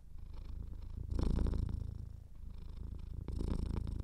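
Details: Close, throaty purring of a cat with a slightly clogged nose: a fast-fluttering low rumble that grows louder twice, near the first and third seconds, each swell carrying a light snuffly rasp.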